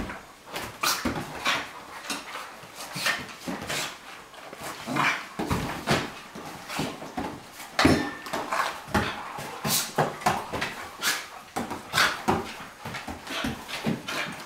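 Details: Two dogs, a Cairn Terrier and a Flat-coated Retriever, playing indoors; sharp clicks and scuffles with bursts of growling and whimpering, spaced irregularly at roughly half-second intervals.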